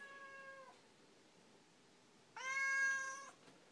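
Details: A talkative Siamese cat, complaining about something, gives two drawn-out, steady-pitched meows about two seconds apart, the second louder.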